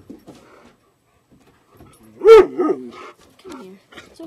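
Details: Greater Swiss Mountain Dog Gracie, sharing a home with another Greater Swiss Mountain Dog and an Alaskan Malamute, lets out one sharp, loud yelp followed by a couple of softer, falling whimpers amid quiet background talk.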